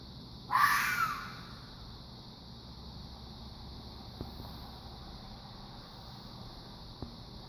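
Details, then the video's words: Fox letting out one brief, harsh screech at the start, followed by several seconds of hiss broken only by a couple of faint clicks. "Fox making a strange noise"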